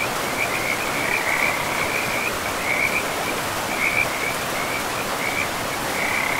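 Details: Frogs calling beside a river in a pristine forest: short, buzzy trills at a steady pitch follow one another every half second or so, almost unbroken, over a constant wash of running water.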